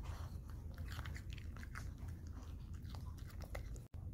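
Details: Maltese dog named Dubu, recovering at home after surgeries, eats boiled cabbage and cucumber indoors in a small room. Dense crisp crunching bites follow one another quickly over a low room rumble.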